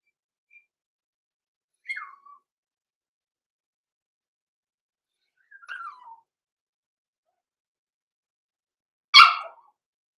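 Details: Overnight in a home puppy pen, six-week-old blenheim Cavalier King Charles Spaniel pups Roman and Blue, born November 14, 2022: two falling, whistly whimpers about four seconds apart, followed by a single abrupt high yelp-bark in a quiet room.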